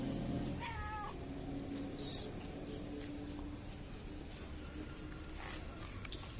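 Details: Sweet fluffy stray cat in Morocco, enjoying petting before and after food, lets out a single brief rising-falling meow, then soft rustles and a faint steady hum.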